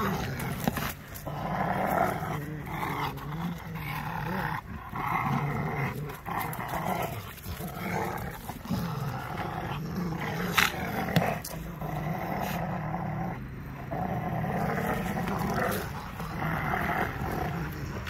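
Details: Two Rottweilers playing 'tire' keep up a low, throaty growl in rough play, rumbling and snarling in uneven bursts that swell into harsher snarls before sinking back.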